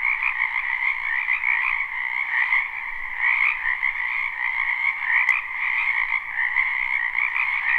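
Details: Frogs in a spring wetland behind a house, recorded live without looping: a dense, unbroken chorus of trilling croaks in two steady bands, one mid-pitched and one higher, with slight pulsing and one brief click.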